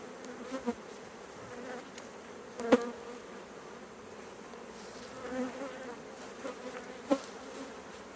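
Honey bees hum with a low, steady droning buzz, broken by a few sharp taps.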